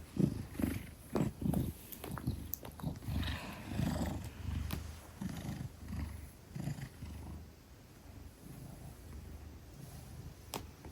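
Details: Ten-kilogram Maine Coon cradled in arms, purring; low rumbling purr pulses, stronger early and fading later, mixed with clicks and rustles of handling.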